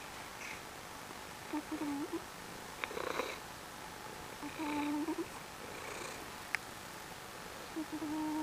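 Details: A female pet Maine Coon cat, a loud snorer, snores softly with a low rasping breath repeated about every three seconds.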